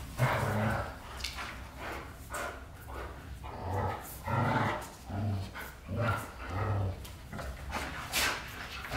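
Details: Low throaty growls from white Golden Retrievers James Bond and Luna, pulsing roughly every second in a steady rolling pattern, with occasional sharper bark-like bursts and faint human voices.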